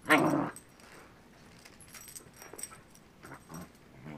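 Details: Jake, a pet dog, reacting to a new battery-operated toy that he now likes: one short, loud vocal burst at the start, then near silence with faint rustling and small clicks.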